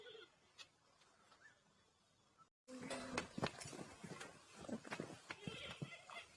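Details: Giant panda on March 10, after eating well and playing with a red bucket, giving its sheep-like bleat. A quiet start gives way after a short gap to repeated nasal, harmonic bleats mixed with clicks and rustling.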